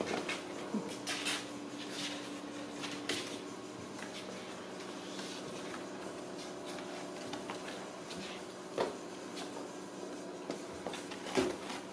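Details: Indoor clatter of cupboard doors and knocks over a low room hum, with faint speech and no animal voices.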